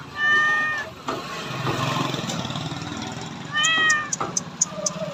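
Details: A cat gives two short, arching meows, one near the start and one a few seconds later, over a steady low rumble like an engine and faint ticking noises.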